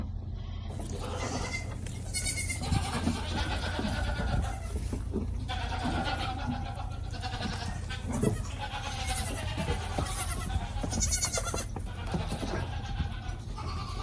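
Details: Goat kids suckling together from a collective bottle feeder, giving many overlapping wavering bleats in a continuous chorus over a steady low rumble.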